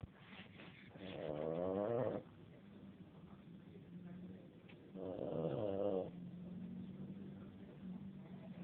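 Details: Dog snoring: two long rattling, harmonic inhalations of about one to two seconds each, separated by quieter droning exhales, in a calm indoor setting.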